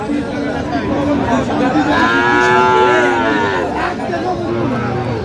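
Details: Friesian and crossbred bull calves at Aftabganj livestock market, Dinajpur, on 13 August 2025; one loud, drawn-out moo that swells and fades over about two seconds above busy crowd chatter.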